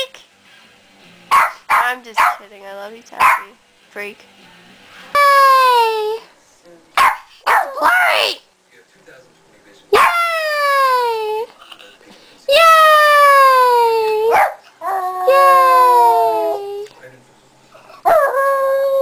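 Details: Pet dog that howls each time its owner says yay, mixing short barks with long, falling, tonal howls lasting one to two seconds, repeated through the clip, with the owner's voice between.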